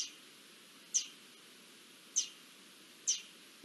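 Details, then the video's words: Garden dormice alerting to an approaching Iberian lynx on 20 June 2024, giving three shrill, short squeaks at uneven intervals, roughly one to one and a quarter seconds apart, over soft constant hiss. "Lirones alertando de la llegada de un lince"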